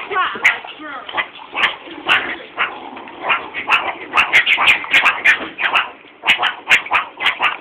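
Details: Captive meerkats (Suricata suricatta) at a college growl and give short, sharp barks while being fed mealworms in tubes, with people talking nearby; finding: Meerkat.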